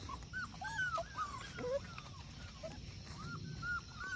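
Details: Puppies playing in a creek outdoors, giving a rapid run of high, thin, arching whimpers and yips, several overlapping at once and repeated through the clip, over a steady wash of running water.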